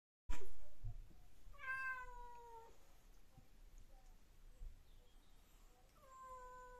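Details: British Shorthair cats fighting indoors: a drawn-out, tonal, slightly falling meow with rich harmonics, then a second, shorter meow a few seconds later, over a low, steady background rumble.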